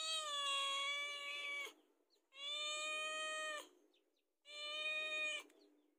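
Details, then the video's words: Domestic cat asking to be fed, three long sustained meows about two seconds each, even in pitch and evenly spaced with short gaps. "SUARA KUCING"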